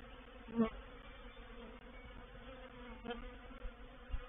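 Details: Honey bees in a reproductive swarm settling into a swarm trap, recorded 04/07/21. A dense, even hum runs throughout, broken by two short, louder buzzes, one early and one about three seconds in.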